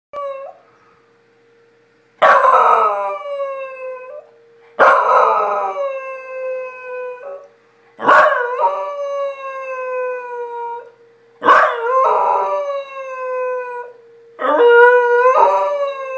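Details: A Pembroke Welsh Corgi howls in long, falling wails during a monthly city tornado siren test, each bout starting high and sliding down.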